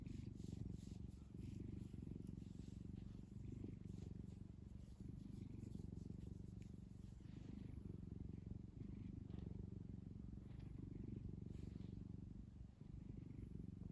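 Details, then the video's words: Steady low rumble of purring from Kkumi, a cat happily kneading its favourite soft blanket, fast even pulses continuing for the full fourteen seconds with faint soft rustling above. "꿈이는 골골송, 꾹꾹이 대마왕"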